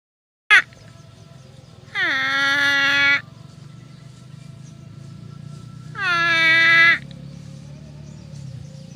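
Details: Grazing herd of water buffalo with a nasal, harmonic 'uwwek' call, two drawn-out bawls each about a second long, falling slightly at the start and ending abruptly, separated by four seconds; a sharp click at the start and a steady low rumble beneath.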